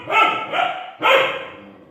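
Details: Kanni dog barking at a lion shown on TV: two sharp, harmonic barks about a second apart, the second slightly louder and longer, fading quickly.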